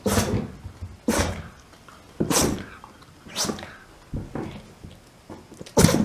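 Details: Shiba Inu named Mame in a sneezing fit, ten in a row: six forceful snorting bursts roughly every second, each a sudden hissing blast that fades quickly, indoors with nothing else audible.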